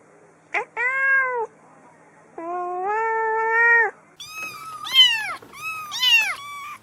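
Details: Domestic cats meowing indoors: a series of clear harmonic meows, some long and level, others rising then falling, with several short overlapping cries toward the end and a person speaking quietly.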